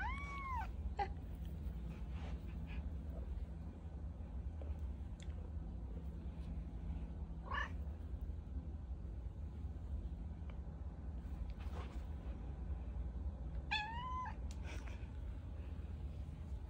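A domestic cat gives a few clear, arching meows in reply when a person calls her name.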